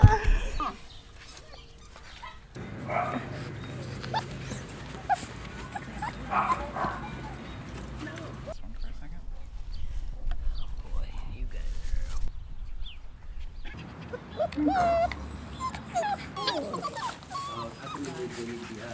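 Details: Rottweiler puppies in a compilation of home footage, giving short whimpers and small yaps scattered through the recording, while people talk over them and background noise shifts between scenes.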